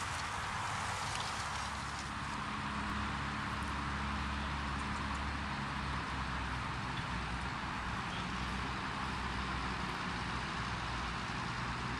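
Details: Steady broadband outdoor rumble like an engine running in a rural field, with a constant low drone and no distinct animal calls standing out.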